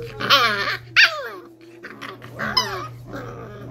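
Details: Playing five-week-old Cardigan Welsh Corgi puppies letting out bright squeaky yips and growly whines in three bursts, each sliding downward in pitch, over a constant low hum in a small indoor room.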